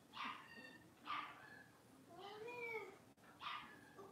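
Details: Blenheim Cavalier King Charles Spaniel puppies, a litter of five born at New Year's, playing in an indoor puppy pen: short, high, yelping barks about a second apart, with one longer whining yelp in the middle.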